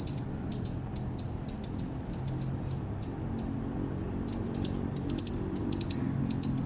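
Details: Eastern chipmunk giving a steady string of piercing, high chips, some single and some in close pairs, at about two to three per second, over a low background rumble.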